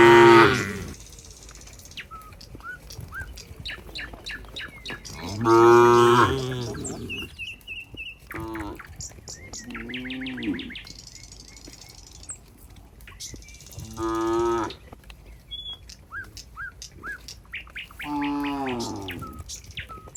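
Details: Cows heading back to their pen in a neat group, with separate low moos every few seconds, some short and some drawn out, between repeated high bird chirps and trills in the background.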